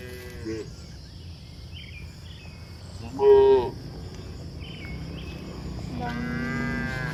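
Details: Cows walking across a hill: scattered soft moos, one loud pure-toned moo near the middle, and a longer moo at the end, with faint background hiss.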